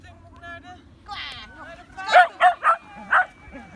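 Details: Tricolor Shetland Sheepdog during agility training, recorded 29 March 2017, giving four sharp high barks in quick succession after a person's voice and a whistle-like tone.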